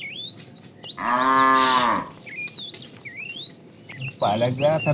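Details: Tame cow roaming the road looking for food with its family: one full, rich moo lasting about a second, then the start of another, while birds chirp and whistle throughout.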